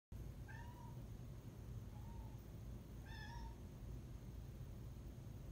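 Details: Pet cat meowing at night in a new apartment, where it has taken to sitting on top of the cabinets. Three drawn-out, slightly rising then falling meows at roughly one-second intervals. A steady low hum sits underneath.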